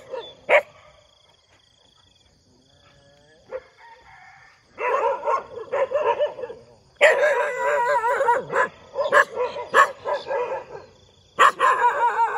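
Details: Dogs barking in the morning, scattered sharp barks at first, then dense bursts of overlapping barks and yelps from several animals, with a faint steady tone in the background.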